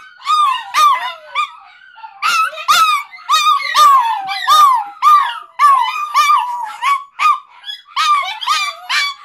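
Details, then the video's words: Multiple household dogs howl together in response to the 5 o'clock fire whistle, as they do every day; quavering, sliding howls and yips repeat in bursts roughly every second. "Our dogs howling at the 5 o'clock fire whistle."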